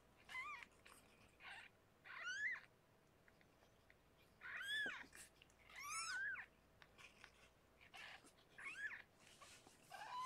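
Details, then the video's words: Rescued pregnant cat Harlequin with her six newborn kittens, indoors in a foster kitten room: a run of thin, high, arching mews, each rising then falling, repeated every second or two over a quiet hiss. "Rescued pregnant Kitty Harlequin gives birth to 6 kittens!"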